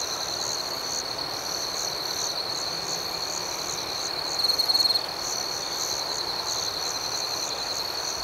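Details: Crickets at night in a steady high-pitched chorus: a continuous shrill trill with a faint pulsing above it, rising briefly into a louder, sharper burst midway, with no other sounds.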